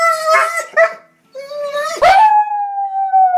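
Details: Crying puppy giving short whimpers followed by a sharp yelp that rises into a long steady whine, tonal with clear harmonics, held to the end; no other sounds heard.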